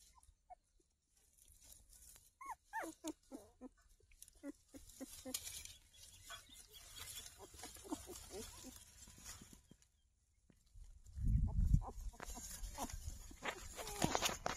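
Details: Newborn puppies opening their eyes and searching for their mother; thin, high squeaks and whimpers come in scattered short bursts, with soft shuffling and low thumping bumps toward the end.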